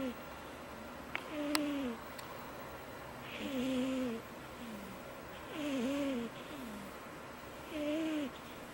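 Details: Loud, high snoring from a cat in a family of cats: four tonal, slightly wavering snores, each under a second, repeated about every two seconds, with a faint click and low room hiss between breaths.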